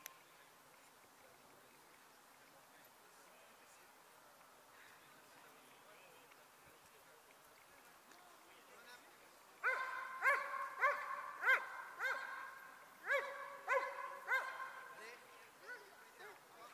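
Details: Dobermann E-Qyoda Qumca von Bolcanstern during Ring 2 attack work: after about nine quiet seconds, a burst of loud, harmonic barks is repeated in quick succession, fading out toward the end.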